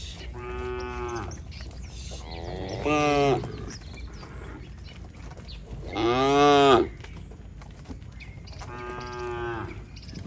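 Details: Tame cattle returning to the shed in a village, calling to companions: four moos spaced a few seconds apart, two loud strongly harmonic ones alternating with softer lowing.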